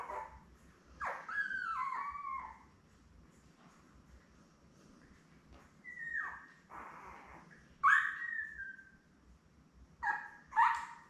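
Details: Labrador Retriever pups, ten days old and seven in the litter, lie with their mother Belle indoors. Clear, whistle-like whines slide downward, some wavering, coming every few seconds against a quiet room.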